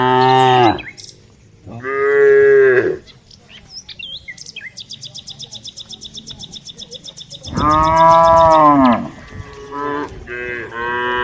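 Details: Several village cows being herded give loud, drawn-out moos, with a fast insect-like rattle between them.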